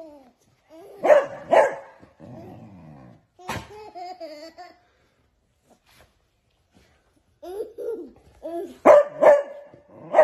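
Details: Beagle puppies at play with a baby inside a small room: pairs of sharp barks at the start and end, with whimpering yelps and a baby's vocal sounds between.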